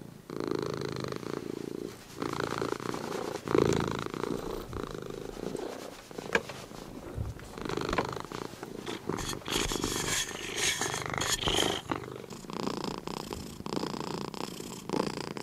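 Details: Sleepy domestic cats purring and snoring indoors; a steady low rumbling purr with pulsed texture runs throughout, swelling and easing with breaths, a few brief clicks and rustles near the middle.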